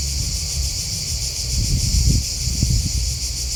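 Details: A short stretch of cricket chirping: a shrill, evenly pulsed high chorus with low rumbling bursts swelling near the middle.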